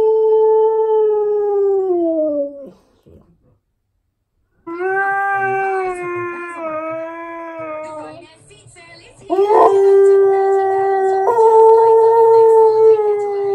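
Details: Pet Siberian Husky Key howls along with television adverts. A long howl slides gently downward and fades, and after silence come further sustained, wavering howls, the last over busier background sound.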